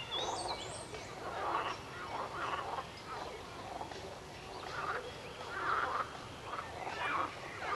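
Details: Frogs calling together, a steady run of rough, pulsing croaks that swell and fade about once a second over a low background hiss, with a brief thin high note near the start.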